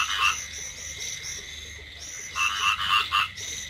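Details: Paddy frogs calling in light rain: short rattling croak bursts come quickly, several each second, with a quieter gap in the middle before a fresh cluster of calls.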